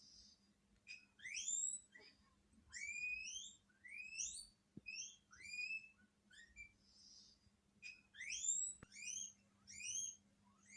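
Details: Household guinea pigs in Hokkaido respond after hearing a strange guinea pig's voice on TV: loud, high, sharply rising whistled wheeks come in bursts of two or three, with short quiet gaps between groups.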